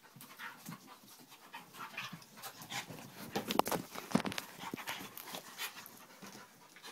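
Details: Pet dogs, including one named Vinnie, play fighting at home: rapid breathy panting and huffing bursts, roughly two per second, with scuffling noises and a few louder snorts midway.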